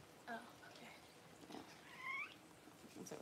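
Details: Newborn Cavalier King Charles Spaniel puppies during mother Paris's whelping of her first litter, January 1: two thin, rising harmonic squeals, one short and one longer, with low murmuring and soft rustling between.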